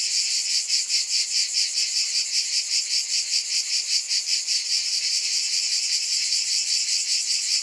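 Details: A cicada chorus gives a loud, sizzling high drone that swells and fades in clear rhythmic throbs about two and a half times per second.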